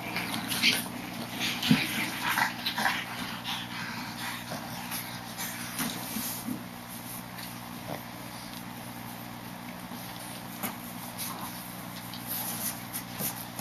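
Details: Boston Terrier puppy, 39 days old, giving faint, scattered whimpers and short yips, loudest in the first few seconds, over a steady low electrical hum and background noise.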